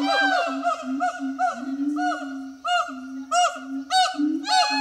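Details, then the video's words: At Zoo de La Fleche on 6 August 2018, a hot summer morning, the pair of siamang gibbons Harry and Mila sing steady low booms overlaid with loud, ringing upswept barks in a continuous chorus. "Singing Siamang Gibbons"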